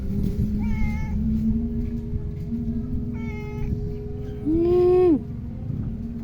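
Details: Male Persian cat giving soft short mews, then one louder, longer meow that holds steady before sliding down and cutting off, over a low steady hum.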